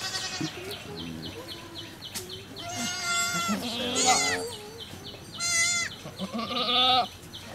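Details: Newborn baby goat and mother at a cow farm birth: loud, quivering, high-pitched bleats, some drawn out and trembling, over a steady ticking background and faint voices.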